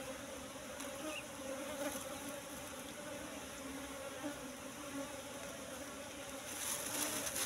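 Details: Steady droning buzz of wild Asian honey bees (Apis cerana) at a nest discovered in bushes and full of honey. The low hum and its higher overtone stay level throughout, with faint crackles and a brighter hiss near the end.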